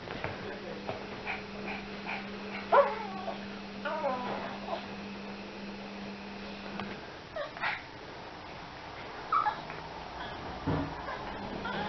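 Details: Yorkie helping with shopping, giving two short high-pitched yips several seconds apart against quiet talk, rustling and a constant low hum.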